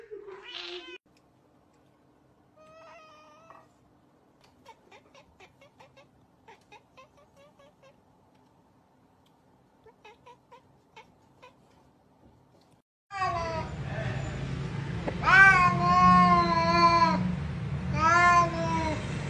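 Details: Faint clicks and soft chirps fade out, then a cat breaks into loud repeated meows, several strong harmonic calls over the last six seconds, over a low rumbling hum.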